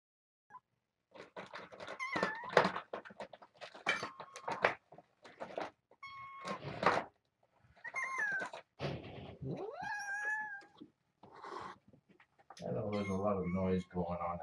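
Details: Mother cat with her three young foster kittens at breakfast indoors, a little growly because of noise outside: a string of short squeaky meows and chirps amid clattering, ending in a low rumbling growl.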